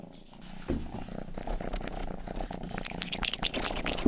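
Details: Youngest pet cat Rang-i purring while licking an ear: a rumbling low purr throughout, with crisp wet licks and clicks growing denser toward the end.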